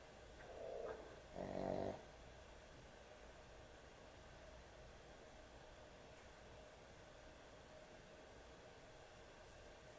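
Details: Sleeping dog with heavy snoring at bedtime: two rough rasping snores in quick succession, the second longer and louder, followed by quiet breathing against a faint steady hum.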